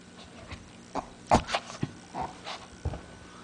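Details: Shih Tzu dog Lacey, playing tug of war with her favourite pink blanket and being goofy: short, rough growling and snorting bursts, about eight in three and a half seconds, over a steady low indoor hum.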